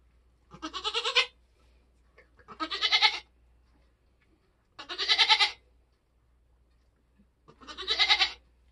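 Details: Nigerian Dwarf goat doe giving birth on a homestead in kidding season, bleating four times at roughly two-second intervals. Each call is loud, buzzy and quavering, with near silence between them.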